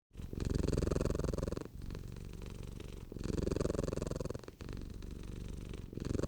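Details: Cat purring: a deep, rumbling, continuous vibration that swells and fades in long cycles with brief breaks between breaths, steady and close.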